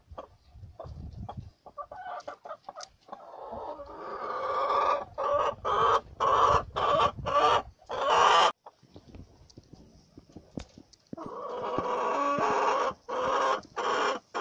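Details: House-kept guinea pigs calling: a long series of loud, piercing squeals repeated roughly every half second, a short pause, then more sustained shrill calls over a background of rustling.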